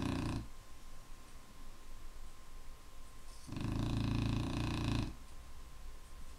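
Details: Clumber Spaniel asleep indoors, with a tail of one snore at the start, then a quiet gap, then one full harsh rumbling snore lasting about one and a half seconds; a low steady hum underneath.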